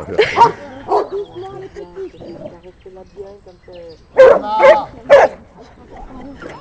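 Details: Old female golden retriever, during a break after training, barks while young Bernese Mountain Dog Ganache tries to take a stone she is eating; sharp barks near the start and a quick cluster of three around four to five seconds, with human speech throughout.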